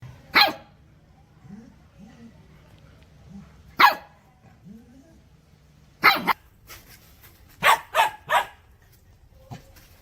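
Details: Puppies barking toward the camera or an off-screen sound: sharp, broadband single barks near 0.4 and 3.8 seconds, then a quicker cluster of barks after six seconds, with faint low whines between.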